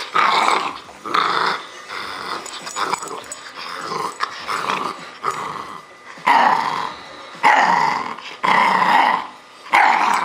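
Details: A bull terrier puppy named Roscoe, 10.5 weeks old, growls hard during a game of tug of war inside; loud gravelly growl bursts roughly once a second, strongest in the second half, separated by short gaps.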